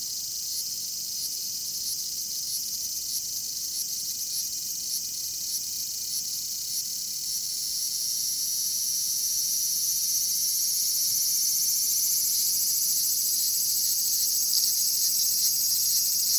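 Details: Cryptotympana facialis, the bear cicada, calling with a loud, high-pitched buzz: rapid rattling pulses at first, which merge after about eight seconds into a continuous, gradually louder drone.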